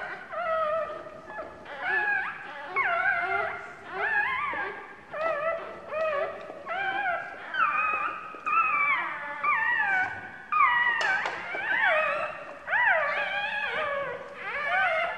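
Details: Newborn puppy on its second day of life, perhaps hungry, whimpering nonstop: high, wavering, downward-sliding whines repeated about once a second, each cry rich in overtones, no other sounds.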